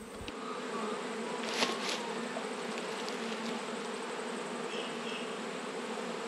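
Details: Honey bees humming during an autumn inspection of twelve beehives, one colony having swarmed and raised a new queen: a dense, steady, even buzz fills the whole stretch, with a brief knock near the start and another midway.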